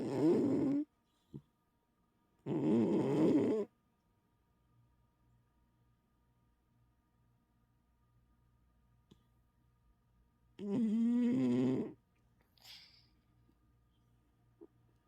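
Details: A sleeping cat snoring loudly indoors: rough, harmonic rasping bursts about a second long, with long quiet gaps between breaths and one faint short snort near the end.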